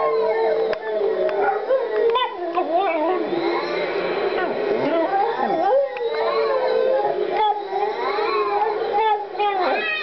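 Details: Female Boston Terrier singing along to opera: wavering, sliding howls that bend up and down almost without pause for ten seconds, woven into a sung opera melody playing at the same time.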